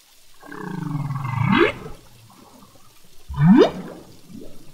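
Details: Humpback whale song recorded underwater in the Revillagigedo Archipelago Marine Reserve, a population whose song keeps evolving; a low moaning unit dipping then sweeping upward, followed after a pause by a sharp rising upsweep, over faint water hiss.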